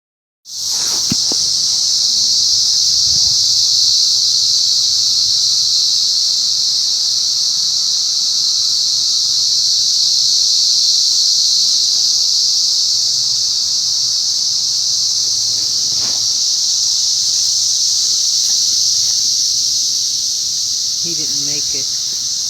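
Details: Cicadas: one steady, high, hissing buzz that holds unbroken for over twenty seconds, with faint thumps and rustles of handling beneath it.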